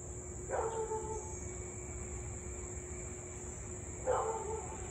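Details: A Siberian Husky in Louisville, on August 3, 2021 at 6:24 pm, during nearly 30 minutes of nonstop nuisance barking and howling, gives two short, yelping barks about three and a half seconds apart.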